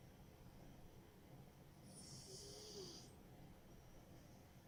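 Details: Smokey, a sleeping pet cat that usually snores loudly: one drawn-out hissing snore breath lasting about a second, with a faint nasal whistle sliding downward in the middle, over a steady low room hum.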